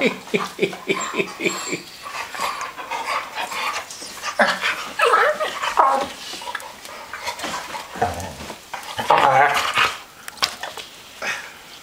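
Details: Three pet dogs playing together: quick panting huffs at first, then rough growls and snarls that rise and fall in uneven bursts, with short yelping whines between the tussles.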